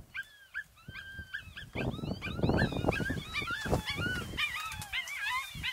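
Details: African golden wolves from a family group howl with high wavering calls overlapping with sharp yips and whines; an adult began the howl, and howls are used to keep intruders away.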